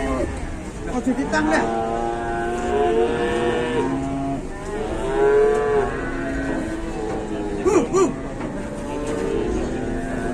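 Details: Geringan cattle lowing: several overlapping harmonic moos, some rising then falling in long arching calls, a few sharper short bleats near the end, with steady background murmur.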